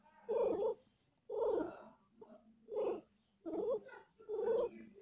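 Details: Mother cat in pain while giving birth to four kittens, uttering five strained, harmonic moans, each about half a second long, spaced roughly one per second at a steady mid pitch, with a faint low hum underneath.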